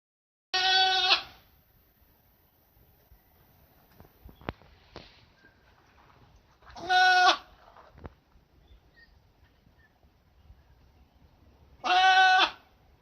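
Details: Goat kept at a school, recorded in 2017, giving three loud harmonic bleats spaced about five to six seconds apart, each under a second long, with quiet pauses and faint clicks between.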